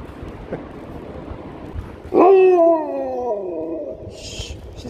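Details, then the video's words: Husky greeting strangers and getting biscuits: after two seconds of quiet background, a loud rising-then-falling howl-like vocalisation lasts about a second and a half, fading off, followed by a short bright noise. "Happy Husky talks to strangers"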